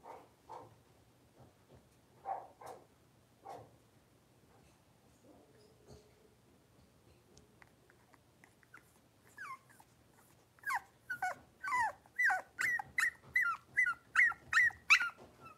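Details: Five young Blenheim Cavalier King Charles Spaniel puppies in a home puppy pen: soft low grunts and a faint hum at first, then a steady series of sharp, high yipping barks, nearly two per second.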